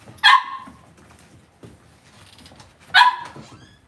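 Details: Cavalier King Charles Spaniel puppies raised indoors in a home puppy pen: two sharp, high yelps with bright harmonics about two and a half seconds apart, with soft rustling and shuffling in between.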